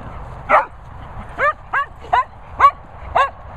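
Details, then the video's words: Cocker Spaniel Daisy telling off another Cocker Spaniel, Finlay: six short, sharp, yelping barks with bright harmonics, spaced about half a second apart over three seconds, above a low steady background rumble. "Cocker Spaniel Finlay Foxall gets a telling off from Cocker DARLING Daisy."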